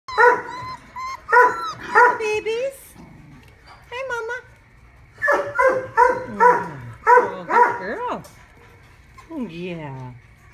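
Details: Mother dog with her puppies at Modesto: short, tonal, harmonic yelps and barks in quick clusters of two or three, with gaps between bursts, while a person talks gently to them.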